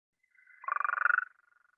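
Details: Gulf Coast toad (Incilius nebulifer), northern Blackland Prairie, a common toad, gives a long, buzzy, evenly pulsed trill that swells and then cuts off.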